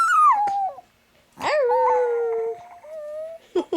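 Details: Chihuahua named Chico howling indoors, set off by dog howling videos played on a phone: a falling wail settling into a long steady tone, a pause, then a second higher drawn-out note, with a person softly coaxing him.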